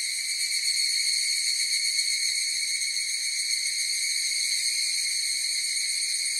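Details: Evening cicadas (higurashi) calling together in a dense chorus, forming a continuous shrill, metallic ringing that holds a constant pitch with slight shimmering pulses and never pauses. No other sounds are heard.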